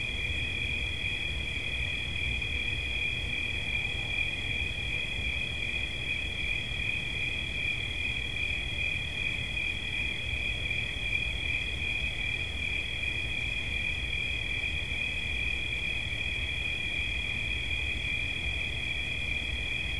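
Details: Cricket giving an unbroken, steady high-pitched trill made of two close tones that hold level for the whole stretch, over a low background rumble.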